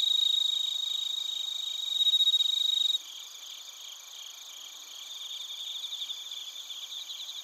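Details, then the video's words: Chorus of bell crickets and crickets from Narita, Chiba, Japan, TASCAM Portacapture X8: a bright continuous ringing tone with fast pulses for three seconds, then a sudden drop to a quieter, rhythmic chirping that slowly strengthens. "スズムシとコオロギの鳴き声 - Chirping of crickets"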